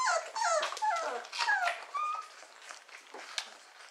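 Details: Four-week-old Beagle puppies from a kennel litter whine and yelp in high, wavering notes with rich overtones, several voices overlapping in quick bursts over the first two seconds, then fading to softer, scattered squeaks indoors.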